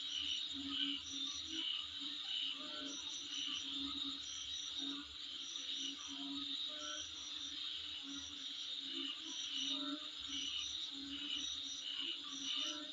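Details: Many insects calling in front of a residence, with a dense continuous high shrill tone broken by rapid pulsed chirp bursts at uneven intervals and a steady low background hum.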